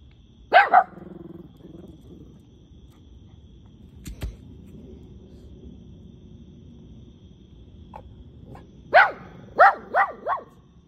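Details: Two dogs, a cavapoo and a shih tzu, barking: a quick double bark, a pause with faint sounds, then a rapid run of four or five sharp barks near the end.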